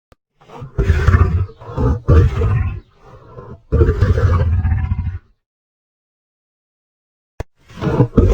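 A lion gives deep, rough roars in bursts of one to two seconds, each broken by short pauses.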